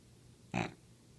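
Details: A sleeping Olde English Bulldogge gives a single short, harsh snort-like snore, a broad rasping burst lasting about a fifth of a second amid otherwise quiet low hum.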